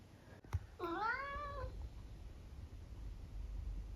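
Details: Conversational meow from a tabby cat: one drawn-out, harmonic-rich meow of about a second that rises and then falls, followed by quiet room tone.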